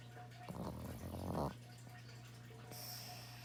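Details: A pet dog snoring: a single rough, rattling inhaled snore lasting about one second, low and buzzy, over a steady low electrical hum, with a faint hiss near the end.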